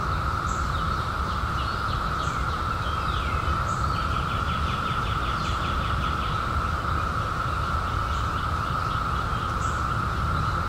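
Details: A 2021 cicada emergence after 17 years gives an even, continuous buzzing hum without pauses; birds add scattered high chips and a rapid rattling trill in the middle, over steady low-frequency background noise.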